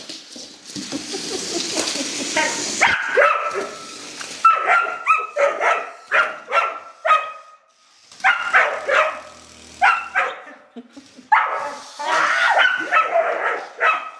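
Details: A female rough collie barks at a radio-controlled toy car and wants to bite it. After softer, rougher huffing at the start, she gives loud, clear, ringing barks, mostly in bursts of two or three with brief pauses.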